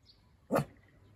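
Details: A young male toy poodle born June 2020, meeting a cat on a walk, hesitates and then gives a single sharp, threatening bark at it.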